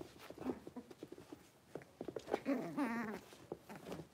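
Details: Blenheim Cavalier King Charles Spaniel puppies, a litter of five born at New Year, indoors after moving into a larger pen. Scattered soft clicks and scuffles, then a rising, wavering harmonic whine near the middle, followed by shorter squeaks.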